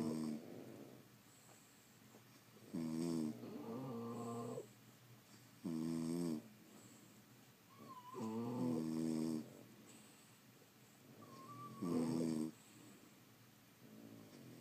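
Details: Snoring French Bulldogs asleep in a quiet room: rhythmic, rasping harmonic snores roughly every three seconds, some broken into double pulses, with faint squeaky nasal whistles between breaths.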